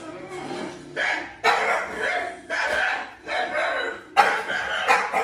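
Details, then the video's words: French Bulldog, one of two pets named Isa and Hugo, reacting indoors to strange sounds: five loud, rough, broadband barking bursts of about a second each, spaced about a second apart, with a faint voice in the background. "2 French Bulldogs React To Strange Sounds / Try Not To Howl"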